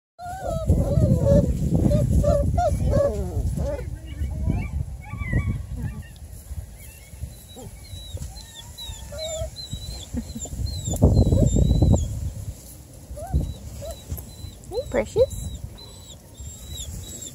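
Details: Four-week-old Coonhound mix puppies, born to a Bluetick Coonhound mother and a Black and Tan Coonhound father, exploring their new home; thin, wavering whines and yelps in quick bursts, with high chirping birds and low rumbling background noise.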